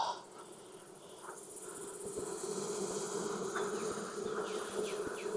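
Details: Honey bee colony in Texas worked with a burlap-fuelled smoker during a hot summer hive inspection; a loud, continuous humming buzz holding one steady pitch, swelling after the first second, with short rising whines of individual bees darting close.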